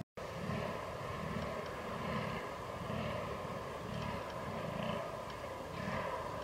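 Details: Rutting fallow deer, 22 October 2022, Canon R6 recording: low, hoarse grunts pulse roughly every second under a steady background rumble, each groan short and throaty.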